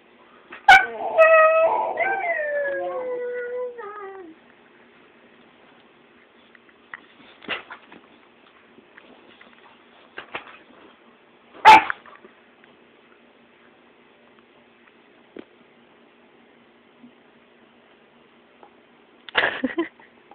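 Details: Pet puppy made upset on purpose by its owners: a drawn-out, wavering howl-like whine sliding downward in pitch for about four seconds, then mostly quiet with a few short sharp yips and knocks and soft human voices.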